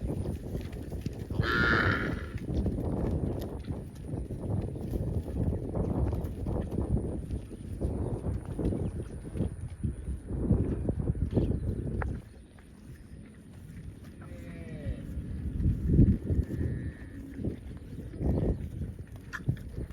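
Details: Roaming cows in open fields calling for friends; long low moos run through the first twelve seconds, then quieter calls follow with a short higher bleating note and rustling, thudding noise.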